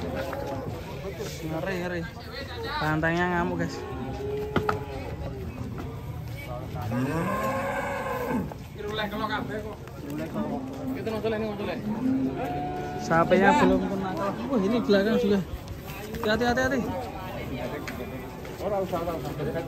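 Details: Bull rampaging as it breaks loose coming down off a truck in Indonesia, several loud drawn-out moos with rising and falling tones across the clip, mixed with shouting people and background music.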